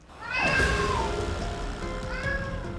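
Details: A pet cat in Paju that cries loudly at night for its pregnant owner gives two drawn-out, plaintive meows over soft music, the first falling in pitch. A vet says these cries are more plaintive than usual and that cats meow to get reactions from people.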